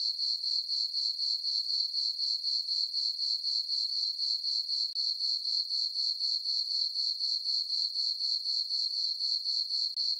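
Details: Night chorus of crickets from a moonlit farm meadow in summer: bright, high-pitched chirps repeated in a tight, regular pulse near four per second, continuous and alone.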